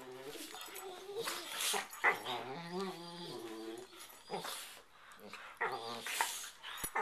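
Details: Playfighting pair of pet dogs on a bed just before sleeping, exchanging growls, snarls and whines; layered harmonic whining with a steady growl around the middle and sharp noisy snarls, indoors at night.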